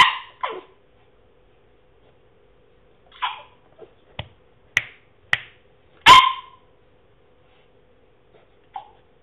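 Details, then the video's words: French Bulldog, a male, trying to bark and making funny noises indoors; short scattered huffs, brief muffled woofs and sharp clicks spread over several seconds, with quiet gaps between. "French Bulldog makes funny noises"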